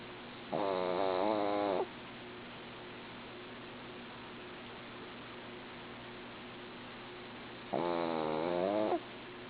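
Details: A female dog snoring in her sleep: two rough, buzzy snores, each a little over a second long, separated by about six seconds of near silence and faint hum.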